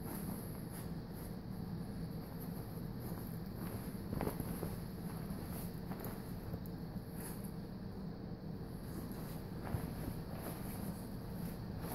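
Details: Low outdoor rumble with wind noise, faint footsteps and a steady high hiss; no animal voices.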